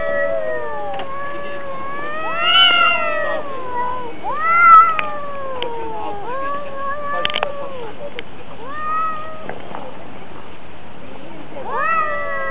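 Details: Two domestic cats fighting, trading drawn-out wavering yowls that rise and fall in pitch, several long howls overlapping and breaking off, with brief louder peaks around the fifth second.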